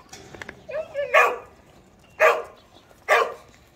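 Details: Domestic dog giving a short whine, then three loud, sharp barks about a second apart, each a brief harmonic burst, with a quiet room behind.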